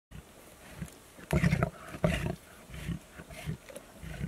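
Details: A pride of lions tucking into their supper. Short, deep, rumbling growls and snarls come in irregular bursts, the strongest near the middle, over a quiet background.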